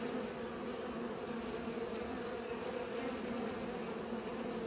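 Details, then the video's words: Bees pollinating, a steady droning buzz with bands near 250 and 500 on a constant hum, unbroken for nearly five seconds. "Bees pollinate"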